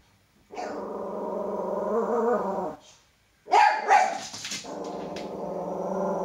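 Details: Male toy poodle indoors, reacting fearfully to his own shadow: a long, steady, low-pitched growl runs for about two seconds, breaks into a sharp bark after a short silence, then settles back into sustained growling.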